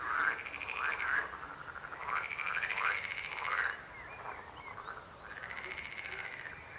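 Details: Frogs croaking in a chorus: several overlapping pulsed, rattling croaks of mid pitch with bright overtones, each lasting about a second, separated by short gaps, over a steady faint background hiss.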